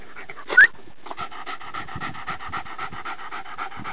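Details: Two dogs, a Deerhound Lurcher and a Patterdale Terrier, playing on Exmoor. Quick, steady panting in breathy pulses about four per second, with a short squeaky note near the start.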